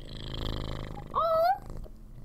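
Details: Large orange tabby house cat, happy and friendly, purring loudly right into a microphone indoors: a steady low rumbling purr for about a second, then a brief rising chirp-like trill before the purr fades.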